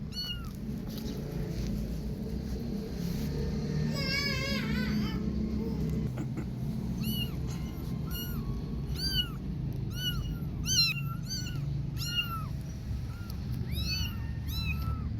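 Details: Kittens playing outside, too lively to catch, give many short high mewing calls, rising then falling, repeated every second or so, with one longer wavering meow near the start over steady low rumbling background noise.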